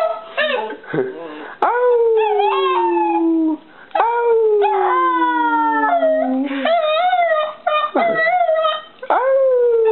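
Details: Puppies howling together: long, sliding tonal howls that slowly droop in pitch, overlapping with higher wavering cries and short yips, nearly continuous for ten seconds.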